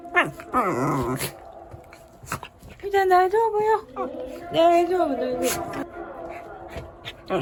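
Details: Shiba Inu panicking in fear as the second typhoon emergency warning sounds while Typhoon No. 14 approaches; it complains with wavering, moaning 'anya unya' whines in about three drawn-out bursts that rise and fall in pitch, with short clicks and noises between them.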